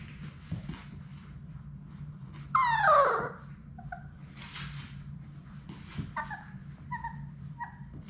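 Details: Six Labrador Retriever puppies at play in an indoor puppy play room: one loud, sharply falling yelping whine, then a few short, paired high whimpers, over steady scuffling and pawing on the floor.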